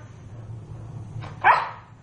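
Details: A pet dog at home, likely one named Nina, gives a single short bark as it is told goodbye; low background hum throughout.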